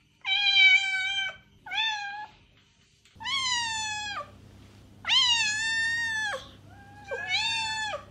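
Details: Loud, clear cat meows intended to attract a stray cat: five drawn-out calls, some over a second long, falling slightly at the end, against an otherwise quiet background with a low hum.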